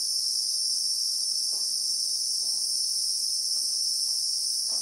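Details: Bushveld in South Africa, real-time recording of Christmas beetles (Anoplognathus): a dense, constant high-pitched sizzling buzz fills the air, with a few faint, brief low taps in the background.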